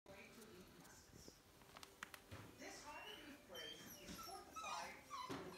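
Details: Seven-week-old male Kerry Blue Terrier puppy named Blue Lad giving thin, high whimpering squeaks that rise and fall, loudest near the end, over people talking nearby.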